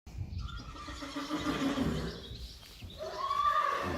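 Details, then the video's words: Friesian horses from a herd, recorded May 5, 2019, neighing while asking to go outside or calling for a mother. Strained whinnies with a harmonic stack, one near the start and a brighter rising, wavering one near the end, over low rumbling background. "Can we please go outside?? Wait! Mommy.. Where are you? Friesian horses"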